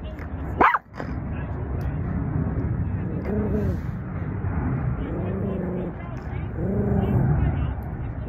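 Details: Angry Maltese puppy growling in low, rumbling bursts that come roughly every one and a half seconds, with a sharp yip or bark near the start and steady background noise throughout.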